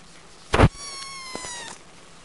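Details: Kitten giving one thin, high meow that slides gently downward and trails off, preceded by a sharp knock.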